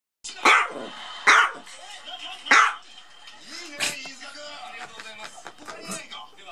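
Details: Maltese dog fighting a toy duck indoors: three sharp, short barks about a second apart, followed by softer scuffling and a voice speaking.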